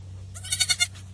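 A goat gives a short, quavering bleat broken into quick pulses over a low steady hum.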